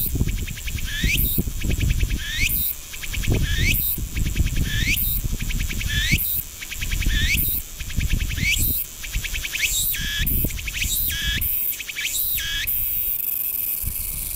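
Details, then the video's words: Cicada from Ibaraki Prefecture, Japan, calling steadily: upward-sliding shrill sweeps each trailed by a quick train of pulses, repeated roughly every 1.2 seconds, speeding up near the end before breaking off, with low rumble underneath. "Calls of 5 Cicadas"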